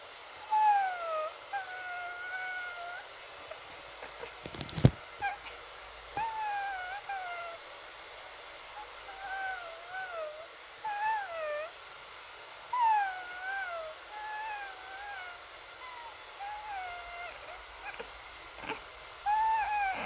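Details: Pet cat meowing like a kitten: repeated soft, wavering, drawn-out mews, some bending up and down in pitch, coming in irregular bouts with pauses between, plus a couple of sharp clicks or knocks.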